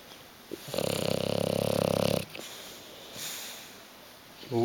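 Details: Bulldog named Hugo dozing on the sofa indoors, not wanting to move: a single rough, pulsing snore lasting about one and a half seconds, followed by a soft exhale and quiet room sound.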